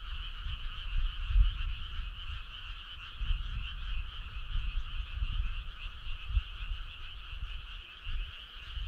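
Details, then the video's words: Frogs in a night chorus on a summer evening, an unbroken stream of quick pulsed trilling calls at steady pitch, accompanied by faint, uneven low-pitched rumbling throughout. "Cool frog sound"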